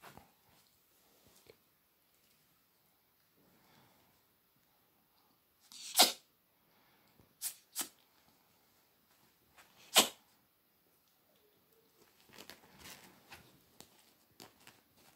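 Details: A male albino ferret playing with a cat toy gives a few sharp, breathy snorts like sneezes, spaced several seconds apart in a quiet room.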